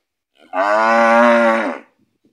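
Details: Gyr bull, among three offered for sale in Morazán, El Salvador, letting out one loud, steady, strongly harmonic moo lasting just over a second, with a flat pitch and a quick fade at the end.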